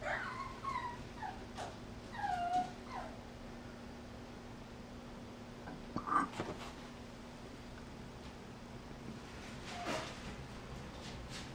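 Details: Mixed-breed puppy, health-checked and vaccinated, giving soft high whimpers that rise and fall, several in the first three seconds, then quiet with a faint click near the sixth second and another near the tenth; steady low hum underneath.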